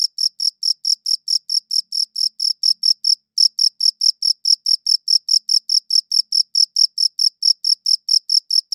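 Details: High, crisp cricket chirps repeating at an even pace of just over two per second, interrupted by a short pause after about three seconds, then continuing unchanged with no other sounds.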